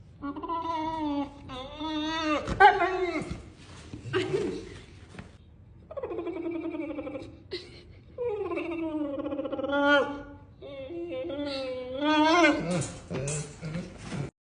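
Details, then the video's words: Female Neapolitan Mastiff weighing 120 lb making a range of different sounds: wavering, whine-like moaning vocalizations with bending pitch, in several separate bouts, ending in strange, animal-like noises, with laughter in a small indoor room. "the different sounds of my 120lb Neapolitan mastiff 😂she sounds like a strange animal at the end"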